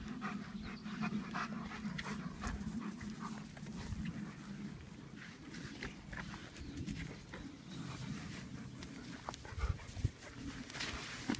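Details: German Shepherds at play, heard as steady, rapid breathy panting over a constant low hum, with a few sharper knocks near the end.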